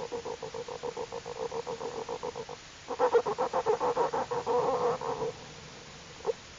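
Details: Day-old big cat cubs suckling, giving the contented 'motoring' noise typical of nursing: quick rhythmic throbbing pulses, growing louder and rougher midway, then stopping, followed by a single short squeak.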